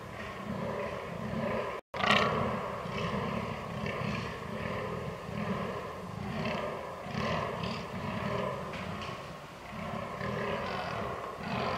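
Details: Fallow deer in rut, 22 October 2022, Canon R6 recording: a steady series of low, throaty belching groans repeating in pulses, after a brief dropout and sharp click near the two-second mark.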